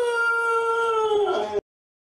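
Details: Pet dog indoors, coaxed by its owner to say thank you to followers, gives one sustained, tonal howl lasting about one and a half seconds, steady then slightly falling in pitch, richly harmonic, cutting off abruptly into silence.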